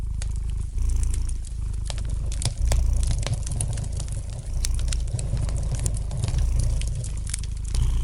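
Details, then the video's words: Relaxed domestic cat purring near a fireplace, a loud, deep, rhythmic rumble rising and falling in strength, with light crackling and occasional sharp pops from the fire. "Relax to the gentle purring of the cat and the light crackling of the fire in the fireplace!"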